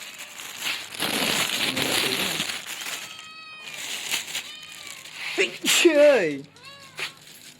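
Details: Young male kitten heard amid rustling and crinkling noise, then a falling, drawn-out meow and a softer short cry, with background music and a person speaking Khmer.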